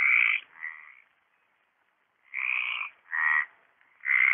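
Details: Mediterranean tree frog singing at the Orio pond, 27 March 2013: loud grating croaks in quick pairs, then a second-long silence before more rasping notes follow in rapid succession.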